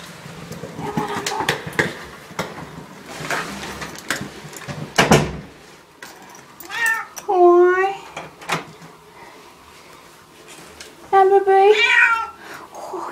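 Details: A pet cat, happy to see its owners again, gives a few short, rising-and-falling meows, one near the middle and a pair near the end, among the owners' greeting voices and household noise.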